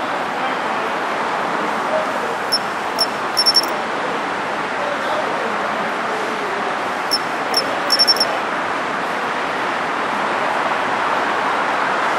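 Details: Japanese pine cricket (matsumushi) singing from city shrubbery in early autumn: bright, high, clipped chirps in groups of two single notes then a rapid triple, the phrase recurring about every five seconds over a constant roar of traffic.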